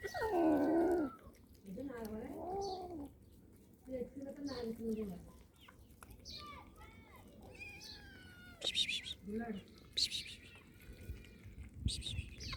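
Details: Sad, hungry cat meowing: three drawn-out, wavering meows with rich harmonics in the first five seconds, rising then falling, followed by quieter sounds and short high chirps toward the end.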